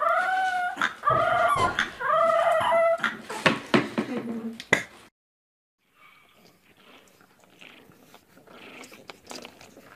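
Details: Dog in a humorous pet compilation giving a run of rapid, wavering whines and yelps, about five seconds of stacked tonal cries sliding downward, then quiet with faint background sounds.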